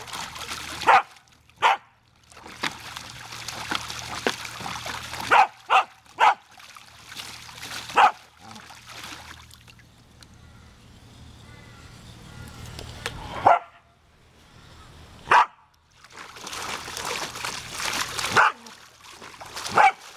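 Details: A female Samoyed named Savannah lunges at the spray of a garden hose, barking in short sharp bursts, sometimes in quick pairs, scattered across the stretch amid hissing, splashing water that stops and restarts.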